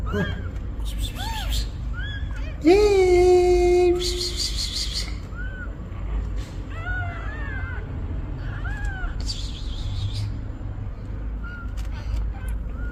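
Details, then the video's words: Mother cat asking for help with her newborn kittens: one loud, long, lower meow held steady for over a second, followed by a string of faint, high, arched kitten mews against low background noise. "Mother cat ask for help! Newborn kittens meows"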